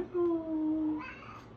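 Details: A cat gives one drawn-out tonal meow of nearly a second, steady and slightly falling with clear overtones, then fades into a softer, breathier trailing sound in a small indoor room.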